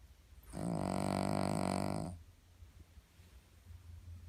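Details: Cavalier King Charles Spaniel snoring loudly indoors: a single long, rasping, buzzy breath lasting about a second and a half with a rich harmonic drone, then quiet room hum.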